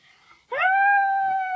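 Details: Keisha, a pet dog, howling indoors in a small room: one sustained, steady tonal howl held for about a second, rising briefly at the start then flat, clean with rich harmonics; a person then asks for it again.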